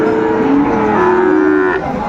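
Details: Cattle market in Bangladesh on 2 May 2024, where a Tangail farmer buys Sahiwal and Friesian bull calves; a steady, rich-toned moo holds for nearly two seconds before cutting off, with background hubbub.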